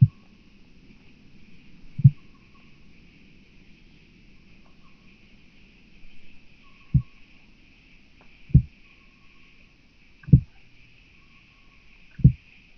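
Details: Recorded in Starnberg, Germany, on 7 August 2023. A Southern Oak Bush-cricket gives a series of short, low ticking thumps at uneven intervals of about one and a half to five seconds, with a faint hum throughout.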